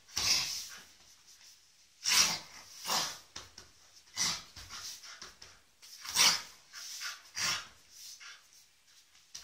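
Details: Iulius Planus Quadrotto, a Soft Coated Wheaten Terrier, puffing out a series of short, airy snorts and sniffs at irregular intervals of roughly one to two seconds, recorded up close with no other sounds.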